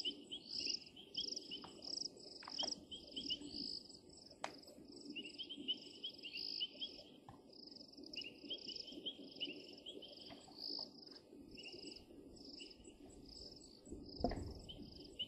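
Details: Painted reed frog chorus at Djuma on 16 January 2023: clusters of short piping notes in irregular bursts, with high buzzing pulses throughout, scattered clicks, and a low thump near the end.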